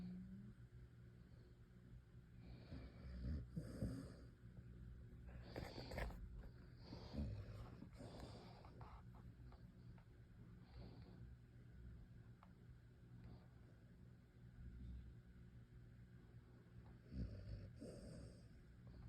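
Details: Snoring from a sleeping dog, low grumbling breaths with occasional louder snorts around the fourth, sixth and seventeenth seconds over a steady quiet background hum.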